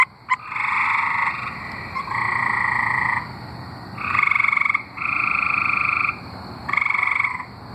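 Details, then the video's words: Tree frogs singing in Arkansas give long, buzzy, nasal trills in overlapping bursts, several voices alternating. "Singing tree frogs(audio)"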